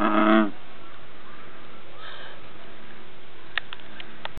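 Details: A single male American bullfrog, in view and close by among plants, gives one low, harmonic, moo-like rumble lasting about half a second, followed by faint background hiss and a few soft clicks near the end.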